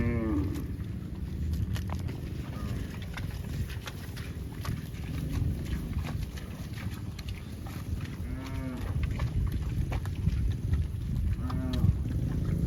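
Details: Cattle lowing in short, deep harmonic moos at irregular intervals, several in the last third, set against constant low-frequency rumble and faint knocking sounds.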